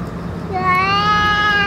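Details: A single rising, clear meow from a stray boss cat fed food and medicine, swelling in loudness and held to the end, over a faint steady low drone.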